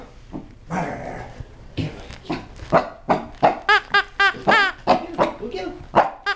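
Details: Alarmed by a new toy, Rocky, a seven-month-old Chihuahua and Cocker Spaniel mix, fires off rapid, high, wavering yaps, over three a second, with a person speaking over the barking.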